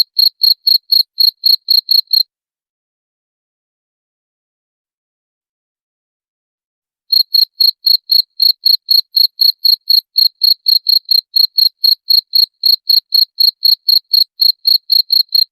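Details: Cricket sound meant to drive rats away: rapid high chirps at roughly four per second for about two seconds, then close to five seconds of silence before the same brisk, even chirping resumes and carries on to the end.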